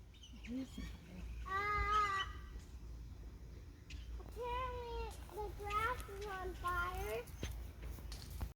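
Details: A male Nigerian Dwarf goat (buck) acting silly gives loud, quavering, nasal bleats that wobble in pitch, with a person speaking briefly between calls.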